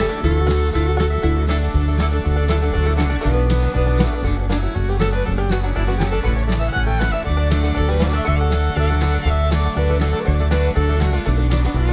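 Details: Lively fiddle and guitar music with a steady beat plays throughout, with no animal sound heard.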